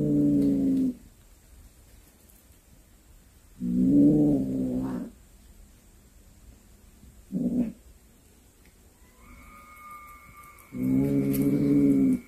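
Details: A cat back home with a snake it hunted yowls in long, low, drawn-out moans spaced several seconds apart, one short wail midway, and a faint steady tone beneath the later part.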